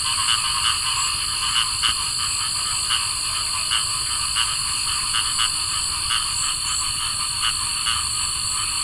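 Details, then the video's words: Summer night chorus of cricket frogs with other wildlife: dry, rapid clicks in irregular bursts, several overlapping callers, set against a constant high-pitched ringing drone. "Cricket Frogs & other Summer Night Sounds"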